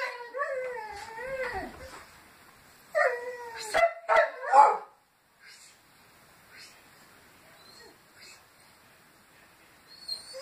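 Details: Several Petit Basset Griffon Vendéen dogs howling to greet the neighbours: wavering, sliding howls with rising and falling tones in the first seconds, then short yelping bursts around four seconds, followed by quieter sounds and a faint howl at the end.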